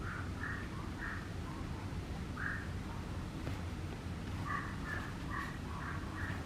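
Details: Dora, a Papillon puppy, whines in short high-pitched bursts: a few at the start, a lone one mid-clip, then a quick run of six or so near the end, all over a steady low background drone.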